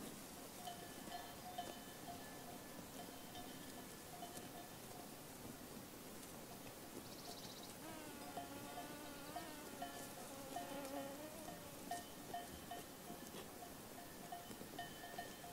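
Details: Sheep herd in a pasture: a single wavering, harmonic bleat lasting about three seconds midway, over steady clinking of bells throughout and a soft outdoor hiss.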